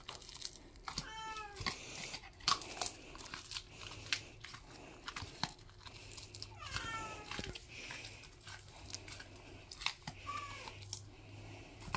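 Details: Samoyed opening a Christmas present of fish skins, excited, with a second Samoyed protesting in the background; several high, wavering whines and yelps rising and falling in pitch, plus crinkling paper and chewing noises indoors.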